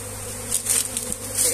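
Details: Honey bees at a comb being moved by hand: a steady low droning hum with a few brief louder swells, and faint handling noise.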